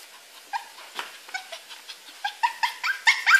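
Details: Male pet poodle that learned in two weeks to climb out of his cage, giving short, high whimpering whines that rise in pitch, repeated about twice a second and growing louder and more urgent toward the end.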